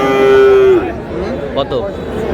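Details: Sahiwal bull calf purchased by a Cox's Bazar farmer on 24 February gives one clear, flat, nasal moo lasting under a second and dropping at the end, followed by men's voices bargaining over the price.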